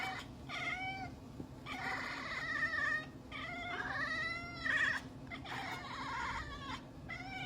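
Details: A cat yowls in repeated drawn-out meows, roughly one every two seconds, some bending upward then falling, over a constant low background hum.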